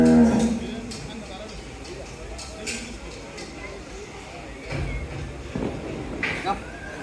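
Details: An American Brahman bull said to weigh over 1,200 kg, shown for sale ahead of Qurbani Eid 2022, gives a deep harmonic moo at the very start. People talking and shouted commands follow, with crowd noise behind.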